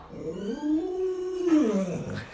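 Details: Lolo, a household Alaskan Malamute, lets out a softer, arching howl that rises, holds, then bends down sharply near the end, over a faint low background hum.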